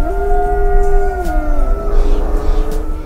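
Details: Wolves at a wolf sanctuary howl in long, steady, overlapping tones that slide gently downward, over a low background rumble; a siren started the howl.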